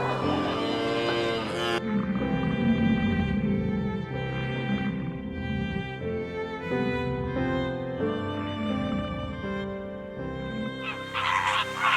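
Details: Bowed string music with violin and cello plays throughout, with no animal sounds. The strings sustain layered chords and shifting melodic lines.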